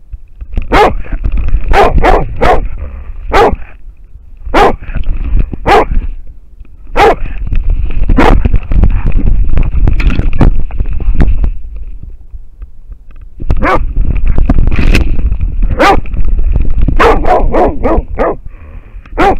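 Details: American foxhound barking at a wild boar, recorded by a camera: loud, harsh barks in rapid irregular bursts with short pauses, over a low rumbling background.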